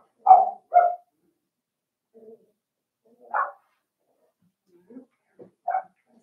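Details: Little barks from five-week-old Cavalier King Charles Spaniel puppies in Daisy's indoor pen: two quick high yaps, a pause, then a single yap and another short yap, with soft grunts and quiet gaps between.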